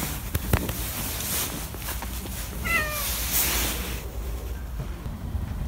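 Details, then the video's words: Domestic cat meeting a person it likes, giving a single short meow that slides downward midway through, set against rustling, scattered clicks and a low background rumble. "고양이가 좋아하는 사람을 만났을 때"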